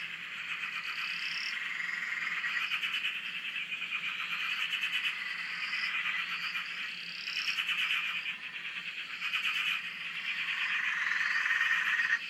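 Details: Australian frogs in chorus on a dam beside a shack: continuous rapid pulsed calling from numerous frogs, swelling and easing in waves, with short higher upslurred notes repeating above.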